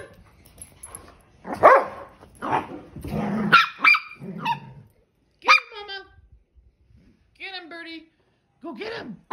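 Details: Dog playing, giving scattered harsh barks, then several high arched yips spaced a second or two apart, with pauses of near silence between them.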